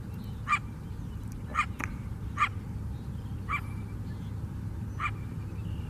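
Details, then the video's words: City coyote by the lake on Chicago's south side: a few scattered sharp barks, irregularly spaced, fading toward the end, over a heavy low-pitched background rumble. "Chicago Coyote Barking"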